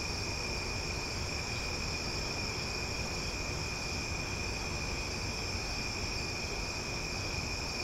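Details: Cicadas in Omaha at night give a loud, steady, unbroken drone of high, shrill tones, singing without pause.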